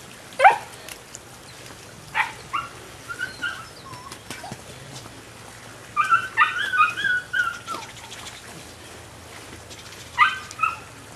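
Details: Nine-week-old female puppy giving high, whining yips in short bursts: a single yelp near the start, another around two seconds, a quick run of several yips at six to seven and a half seconds, then one more near the end, over quiet background.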